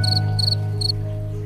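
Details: Cricket chirping, the sound produced by rubbing its wings together rather than from its mouth. Three short, high, pulsed chirps come in quick succession over a steady low musical hum.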